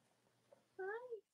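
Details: Cavalier King Charles Spaniel puppies from the litters of Robin and Myra, on a chilly October Monday morning in the US: one short tonal whimper, rising then gently falling, over a faint steady hum.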